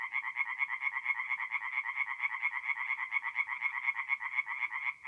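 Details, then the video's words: In mid-April at a north-east Italian forest pond, tree frogs sing by night in a thick, unbroken chorus of fast, nasal, rattling croaks from several overlapping voices. "relaxing forest pond by night with singing tree frogs"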